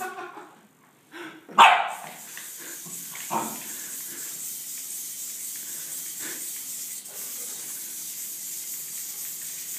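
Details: Lancelot, an office mascot poodle, startled by a DIY Bluetooth-controlled Arduino robot, lets out one sharp loud bark followed by a few fainter yelps, against a steady background hiss.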